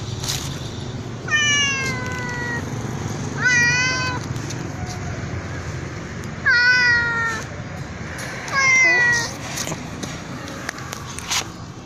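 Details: A black cat calls out in four loud, stretched meows spaced two to three seconds apart, each sliding downward, against steady low traffic noise.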